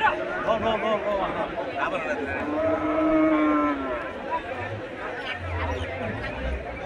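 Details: Cattle at the Horgaj cattle market in Saturia, Manikganj, Bangladesh: a single low, drawn-out moo of about two seconds swells out of dense crowd chatter, with men talking and calling all around.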